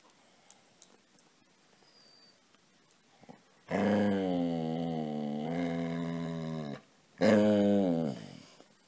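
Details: Seeking to be petted, Casy the dog makes two loud, wavering, harmonic whine-moans indoors. The first lasts about three seconds, and the second is shorter, about one second. A few soft clicks come before them.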